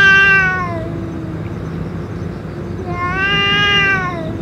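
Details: A boss stray cat, after eating food and medicine, gives two drawn-out meows about three seconds apart. Each one rises and then falls in pitch, with rich harmonics, over a faint low hum.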